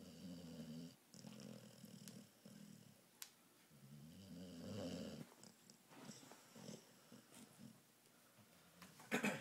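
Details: Snoring sounds from a wide-awake female pit bull indoors: several uneven, buzzy low rumbles come in irregular bursts, with a brief rustle near the end.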